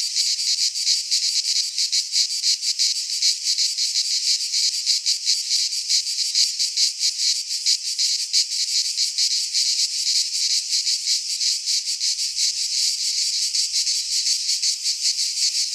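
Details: Summer chorus of cicadas in a pine forest in Greece: an intense, sizzling high-pitched buzz made of rapid rattling pulses, sustained and steady, with no other sounds.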